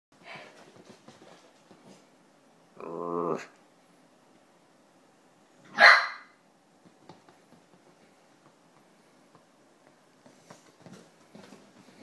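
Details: One of two Italian Greyhounds playing together in the house gives two barks, a throaty one and then a sharp, high yelp.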